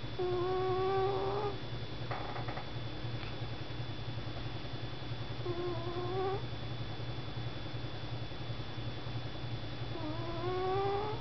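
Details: Cat named Sugar sleeping on a desk, snoring steadily: three whistled, upward-sliding snores about five seconds apart, each around a second long, against a continuous low hum with a brief rustle early on.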